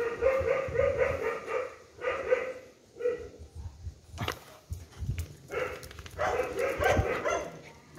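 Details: Rescued dogs in a pack that has just eaten, with a paralysed puppy caged nearby: a steady run of rough, ringing barks in quick bursts, several dogs overlapping, with background thumps and clatter.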